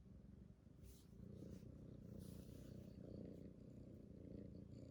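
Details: Purring from Titi, a rescued kitten, a continuous low pulsing rumble that swells slightly after the first second, with soft rustling above.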